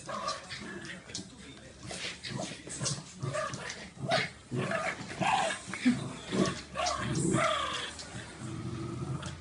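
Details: West Highland White Terrier at play, giving rough, irregular growls and short gruff barks in uneven bursts. A person talks in Portuguese over the noisy, busy scuffling.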